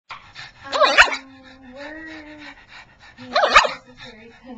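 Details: Pet pug so eager to play with its laser pointer that it starts 'talking': two short, loud, yowling bursts with a rising and falling tone, about two and a half seconds apart, with a person speaking quietly in between.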